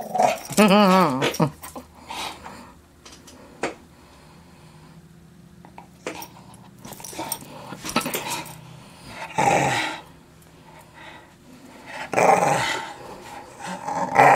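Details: Playful young English Staffordshire Bull Terrier, unsure whether to play ball: opens with a wavering, harmonic whine-growl, then scattered scuffling, intermittent rough growls and snorting bursts later on, ending in a loud growl.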